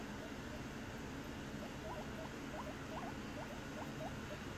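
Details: A male guinea pig gives a quick run of short, squeaky rising-and-falling calls, wheeking for snacks while standing in the corner looking at people, over a steady background hum.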